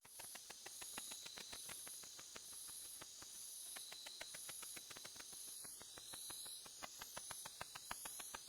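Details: Tettigoniopsis ashizuriensis katydid singing in the ultrasonic range, at the same pitch as the Japanese house bat. It is heard as a steady train of rapid, dry ticks over a constant high hiss with banded high tones.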